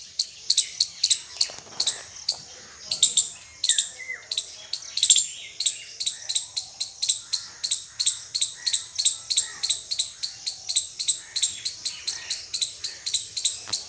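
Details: Indian squirrel chirping: sharp, very high, clipped chip notes repeated rapidly and steadily, about four per second, for the whole stretch, with a brief lower squeaky note near the start.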